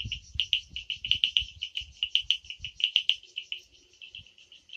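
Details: Night chorus of frogs in forest of the Amboli hills, Sindhudurg, recorded without background music: quick repeated high piping notes in a steady stream, some louder accented pulses, soft low thumps early on.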